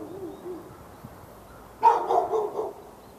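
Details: Dog in Raleigh, North Carolina, barking at nearby dogs on February 15, 2012, amid hours of continuous barking; after a quiet start, a brief rapid burst of several clipped barks runs for about a second.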